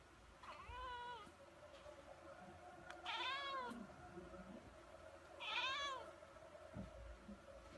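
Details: Domestic kitten meowing three times across eight seconds, each call a harmonic rising-then-falling wail, the middle and last ones louder, over steady low room noise with faint background sounds.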